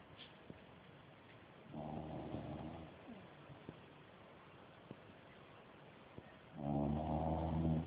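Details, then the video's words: Napping dog snoring loudly, with one short rasping snore followed by a quiet stretch of faint ticks, then a louder, buzzy snore near the end. "perro roncando fuerte"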